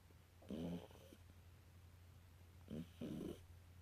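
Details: British Shorthair kitten asleep and snoring: a rough, low, grating breath, then after a gap a short snort and a second rasping breath. A steady low hum runs beneath.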